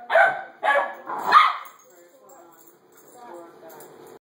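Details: Domestic dog gives three quick, loud barks in a row within about one and a half seconds. Faint low murmuring follows in an otherwise quiet indoor space.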